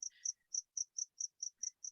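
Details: A cricket in a basement in San Pedro chirps steadily during a meeting, with high, clear pulses repeated about five times a second.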